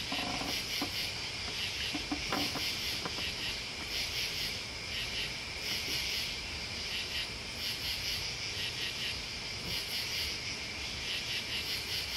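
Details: Cricket. Crickets chirp together in a dense, high-pitched chorus that never quite stops, swelling and pulsing in soft waves. A few faint clicks and low rustles sit underneath the insect shimmer.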